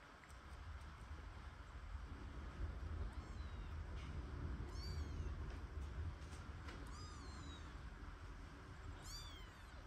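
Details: Kitten Michael, a newborn that survived his mother's difficult birth and is fed every two hours with a syringe-bottle, gives thin, high-pitched arched mews, a few short cries spaced seconds apart over a steady low rumble and soft handling clicks.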